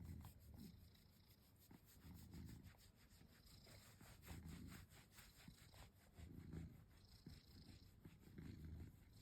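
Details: House cat relishing a scratch, as it does each night, with a deep rhythmic purr that rises and falls in breaths roughly every two seconds over light rubbing sounds.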